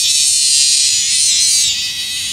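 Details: Bear cicada, with a male and a female noted. A loud, dense, continuous buzzing drone fills the high register for the whole stretch, easing slightly in strength toward the end.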